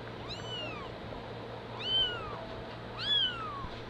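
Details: Mother cat reclaiming her kitten, with three high, clear mews that arch up and then slide down, each under a second and spaced more than a second apart, over a faint steady indoor hum.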